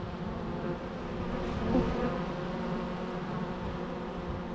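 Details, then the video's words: Natural bee sounds: a steady, unbroken low buzzing drone with layered overtones, holding an even loudness throughout and swelling slightly near the middle, with no other clear sounds. "natural bee sounds"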